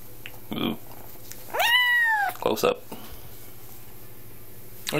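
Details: Gadget, a 10-week-old Highlander kitten on its second day in a new home, lets out one long, drawn-out meow that rises and then slides downward, with a person talking softly just before and after it.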